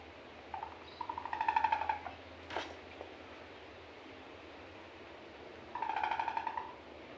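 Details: Small Indian civet giving two bursts of harsh, pulsed, buzzy calls with stacked overtones, each lasting about a second, separated by a quiet pause, indoors with a faint background hum.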